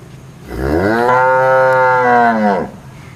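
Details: Cow mooing: one long, loud, steady moo of about two seconds, rising at the start, holding level through a rich stack of harmonics, then dropping off sharply at the end, with a quiet background.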